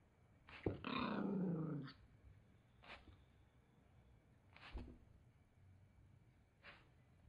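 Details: Toy Poodle, a male, growling angrily when his towel is taken away: one long rough snarl of about a second, then short huffs spaced every second or two in a small indoor room.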